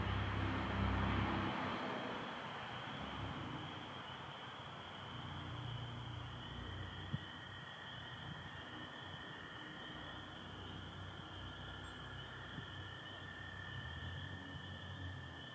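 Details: Spring peepers and American toads in Michigan at night, April 24, 2025, some overcast; a continuous high peeper ringing runs throughout, joined midway by a lower sustained trill, after early low rumbling noise fades.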